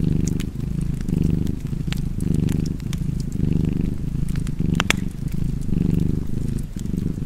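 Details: Domestic cat purring by a fire, a rich rumbling hum pulsing about seven times with soft pauses between breaths, accompanied by a crackling fireplace with a few bright pops.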